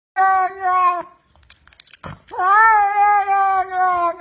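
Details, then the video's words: Domestic cat grumbling because it wants to come along to the market: two long, drawn-out meows, the first steady and the second rising then holding level with a slight waver, separated by a short quiet gap, indoors. "suara kucing lucu ngomel mau ikut ke pasar"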